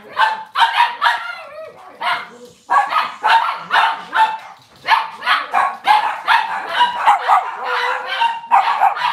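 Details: Cavalier King Charles Spaniel barking almost nonstop in a home kitchen on a cloudy Monday morning, rapid bursts of high, ringing barks with a brief pause near two seconds.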